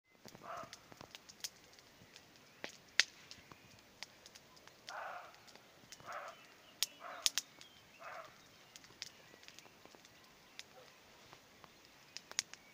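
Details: On a spring evening with hawthorns in bloom, a distant roe deer gives short, hoarse, barking calls at uneven intervals, with sharp crackling clicks nearby from a bonfire.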